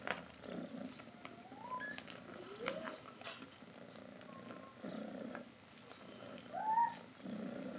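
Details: Domestic cat mother calling her kittens to come drink milk; continuous soft purring pulses with several short gliding mews, the loudest and highest near the end.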